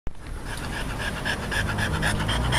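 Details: A French Bulldog that copes poorly with heat pants after a walk, lying stretched out like a frog. Fast, rhythmic, breathy panting pulses run steadily through the recording.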